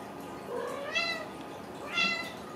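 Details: Young Ragdoll kittens, home-raised in central Kansas, give two bright, high mews about a second apart, each briefly rising then dropping, against a steady indoor hiss.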